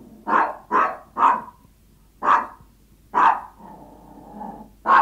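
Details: Yorkshire Toy Terrier barking while hungry and begging its owner for food: sharp yaps in a quick cluster of three, then single barks spaced about a second apart, one followed by a short whine.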